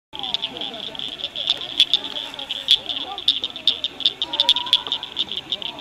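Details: Rare Blanchard's cricket frogs singing at Cricket Cove Park near Cygnet, Ohio, in May 2006: sharp, high clicks repeated in an uneven chorus, with faint lower warbling chirps underneath.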